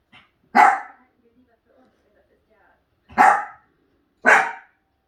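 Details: Three loud, abrupt dog barks, the first near the start and two more close together after a quiet gap, each short and harsh with fast decay.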